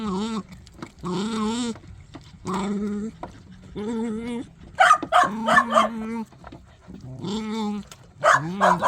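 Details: Dog eating while making strange vocal sounds: repeated wavering, moaning grumbles in bursts of about a second, some higher yelping tones in between, with chewing noises.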